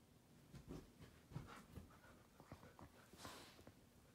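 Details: A male rescue Weimaraner nooks his favorite pillow, making soft wet suckling clicks and snuffles with quiet breathing between.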